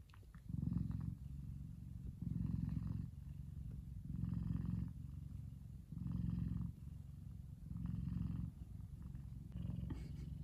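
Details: A big male F2 Savannah cat relaxing in the sun purrs steadily, a deep rumbling drone that swells with each breath. Savannah cat.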